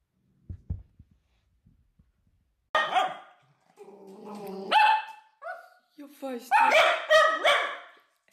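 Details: Playful Dachshund: a few soft thumps, then loud, harsh, rising and falling barks and yowling howl-like yaps grouped in bursts over several seconds, with a lower grumbling sound in the middle.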